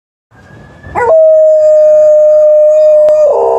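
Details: Liza, an Alaskan Malamute, howls in answer to a passing ambulance on an emergency call: a brief rising note, then a long, steady, level tone held for over two seconds that breaks into wavering notes at the end.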